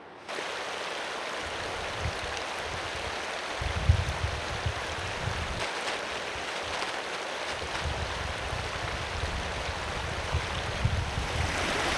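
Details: Steady rushing of flowing water fills a mountain hike in British Columbia, with low rumbling surges and no animal voices.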